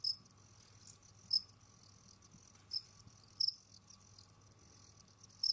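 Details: Pet Jamaican field crickets moving about, digging and hunting: brief shrill chirps spaced one to two seconds apart, mixed with dry scraping clicks over a faint low indoor hum.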